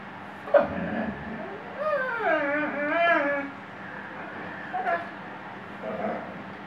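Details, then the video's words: Singing Weimaraner called Shelby, giving one rising-and-falling wavering howl of about two seconds, followed by a few brief softer whimpers over a constant low background hum. "Weimaraner singing shelby"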